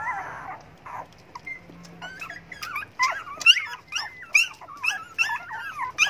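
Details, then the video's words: Hungry dogs begging for food: a soft start, then a growing series of bent, squeaky whimpers and yips, roughly one per second, sliding up and down in pitch. "hungry dogs begging for food"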